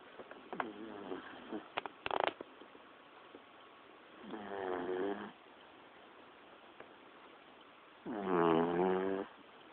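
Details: A pet snoring in a standard way, like a person's snore: two drawn-out, harmonically rich rasping breaths near the fourth and eighth seconds, with scattered soft clicks and rustles earlier.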